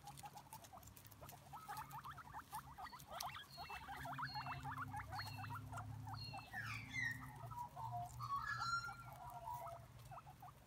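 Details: Pet guinea pig giving rapid, short rising squeaks around a couple per second, with a few higher whistled chirps toward the end, over a steady low hum.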